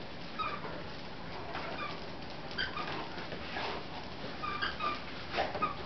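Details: Three female Great Danes, Leena, Nadia and Shanti, wrestle playfully and tug at work, with Nadia slowly opening up; brief squeaky whimpers and soft yips recur amid quiet scuffling noise.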